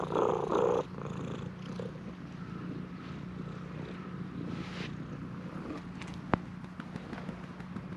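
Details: Stray cat at a shrine eagerly demanding petting, filmed on a GoPro HERO8. It purrs in a steady, low, continuous rumble throughout. A brief louder sound comes at the start, with faint clicks and background hiss.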